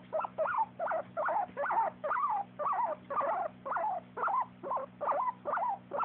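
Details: Happy sounds from the dog Jack-jack: a steady series of squeaky, wavering whines, about two each second, each one rising and falling in pitch, with a constant low hum underneath.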